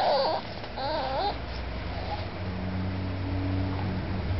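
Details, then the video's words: Kenji, an 8-week-old Miniature Pinscher puppy, whining while trying hard to climb onto the couch for attention; wavering high-pitched whines in the first second and a half, then a steady low hum of background noise. "Miniature Pinscher puppy Kenji being very needy"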